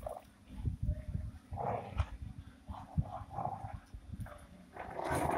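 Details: Rottweiler puppy playing aggressively with its owner, tugging over a shoe: low rumbling growls in short repeated bursts, with some higher yelping notes toward the end.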